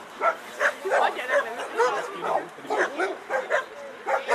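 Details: Chefrem of golden Samurais, an 11-year-old American Staffordshire Terrier at a German VPG protection dog exhibition, barks in short sharp bursts roughly every half second while people talk in the background.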